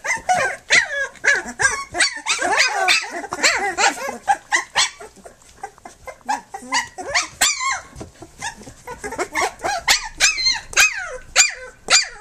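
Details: Flute's litter of three-week-old pups, nursing and playing, fills the air with dense overlapping squeaks and yips. The cries are high and bent into rising and falling arcs, tumbling irregularly over one another throughout.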